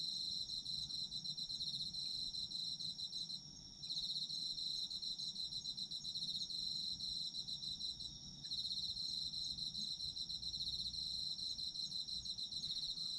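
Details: Autumn insects calling, collected as soothing sleep audio: high continuous pulsing trills that stop for short gaps twice, each time resuming abruptly, with a soft low rumble underneath.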